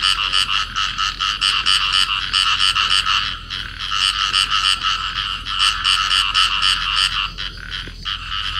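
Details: Paired field frogs in amplexus calling: dense, grating pulsed croaks repeated quickly in long runs, with a short lull midway and a few scattered clicks near the end.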